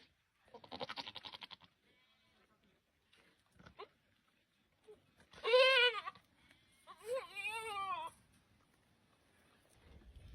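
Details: Goats during mating: a rapid fluttering, pulsed bleat first, then two loud wavering harmonic bleats that rise and fall, each about a second long, with short quiet gaps between calls.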